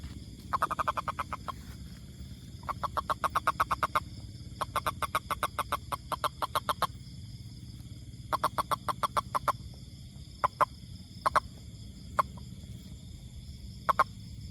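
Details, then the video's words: Toad's call: long trains of rapid, evenly spaced clicking pulses lasting one to two seconds, then isolated single and double clicks toward the end, over a constant low hum. "Amazing Sound Toad"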